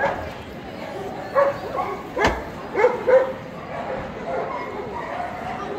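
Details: At the EDS 2022 dog show, a champion-class male Pharaoh Hound lets out a few sharp, high yips in a quick cluster, with a loud thump and background voices in the show hall.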